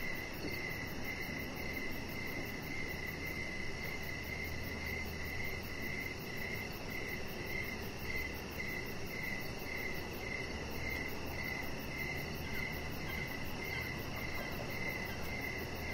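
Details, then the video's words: Outdoor evening chorus of crickets near a deck with a resting chihuahua, a quick continuous run of chirps in a steady rhythm layered over a soft rumbling background and a fine high pulsing. "3 Hours Of Chihuahua Puppy Laying On Deck with Cricket Sounds"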